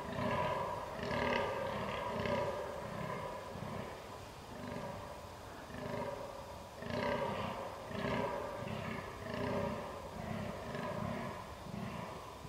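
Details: Fallow deer buck groaning during the rut on 22 October 2022, filmed with a Canon R6: deep, rough belching grunts repeated about once a second in steady runs, broken by short pauses, with no other clear sounds.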